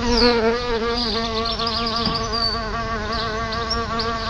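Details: Solitary bees at a nest just outside a house front door: a steady, low droning buzz runs through the whole stretch with a slight wavering in pitch, while small birds chirp and twitter faintly in the background.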